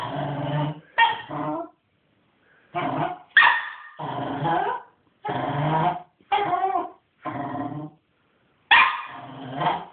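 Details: Hyper male Cairn Terrier puppy after a morning walk: rough, growling barks in about eight bursts of varied length, some clipped and yelping, separated by brief pauses.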